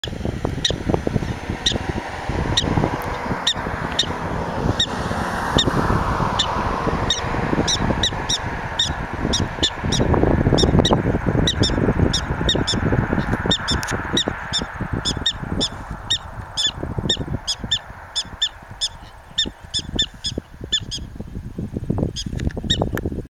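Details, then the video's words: A prairie dog at the bottom of Devil's Tower, Wyoming, barks in sharp, squeaky chirps, repeated about twice a second, over low rumbling wind. "Prairie Dog Barking"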